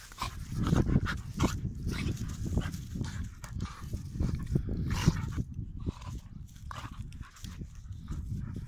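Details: Pit Bull dogs play fighting, with dense low rumbling growls running almost without a break, mixed with short bursts of scuffling and panting noise.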